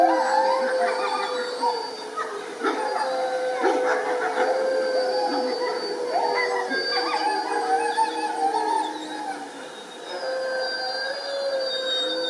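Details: Several gray wolves at a conservation trust in the UK howl together, their long sustained tones overlapping and sliding in pitch.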